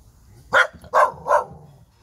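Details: Mother dog in Seogwipo, Jeju, South Korea, showering her young puppies with care; three short, sharp barks about half a second apart, then quiet.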